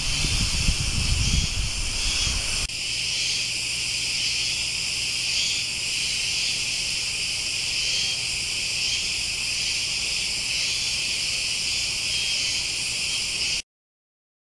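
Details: Cicadas chirping with a butterfly nearby; a steady, dense shrill hum in several high bands, unbroken throughout, with a low rumble of handling or wind in the opening seconds before ending abruptly.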